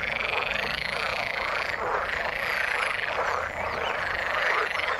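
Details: Frogs calling in the water: a dense, unbroken chorus of overlapping rasping croaks from many animals, steady throughout, with faint thin high whistles drifting above.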